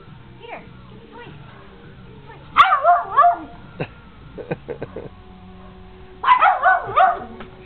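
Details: Whippet Nikita at play with the dogs Sally and Beyonce, Dearborn, Michigan, summer 2009: quiet stretches with voices, broken by two bursts of quick, wavering yelping barks a few seconds apart.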